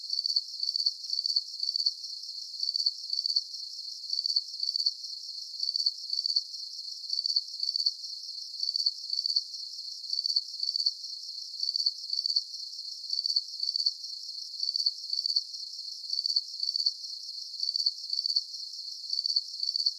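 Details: Soothing cricket chirping for deep sleep: a long, very regular series of high-pitched pulsed chirps, roughly one burst every second, evenly spaced throughout, over soft constant hiss and nothing else.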